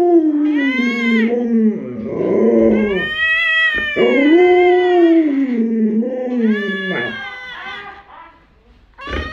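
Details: Household Alaskan Malamute vocalizing indoors in a continuous stream of wavering, talk-like howls. The pitch dips and rises repeatedly, with brief choppy breaks and a final short upward yelp.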